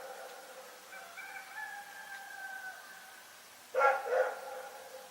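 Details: Night in Pyrga: a long, wavering tonal call fills the first seconds, then Rex the dog breaks in with two loud, quick harmonic barks.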